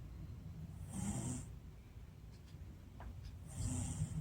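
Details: American Shorthair cat Shii-chan snoring contentedly while asleep: two drawn-out, low rumbling snores about two and a half seconds apart, each carrying a faint airy hiss, with quiet breathing between them.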